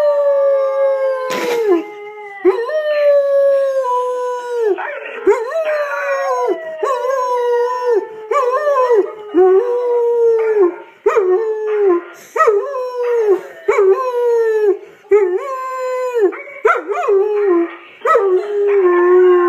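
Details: Pet dog, possibly part ridgeback, that normally never howls, joining in with a recorded ridgeback's howl; repeated drawn-out falling howls roughly every one to two seconds, broken by short yips and overlapping voices.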